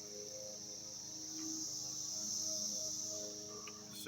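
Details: Cicadas in 2021 give a continuous, high, hissing drone that holds steady throughout, with a faint low hum beneath and a sharp knock at the very end.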